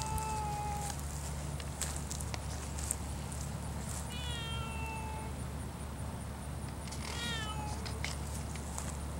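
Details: Savannah cat eyeing a stork along with nearby birds and ducks. Three clear meows are spaced through the stretch: a drawn-out opening cry, a longer wavering call midway, and a short chirpy one near the end. A steady low rumble runs beneath.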